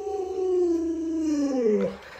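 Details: Luoluo, a household Alaskan Malamute, responding to a bedridden, sick owner with a single drawn-out howl, gliding gradually downward and dipping sharply at the close, with a soft wavering finish.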